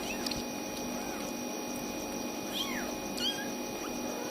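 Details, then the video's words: Tiny kittens crying for their mother until she arrives: a series of short, high, arched mews, each rising then falling, about five in four seconds, over a steady background hum. "Tiny Kittens Won’t Stop Crying Until Mom Comes!"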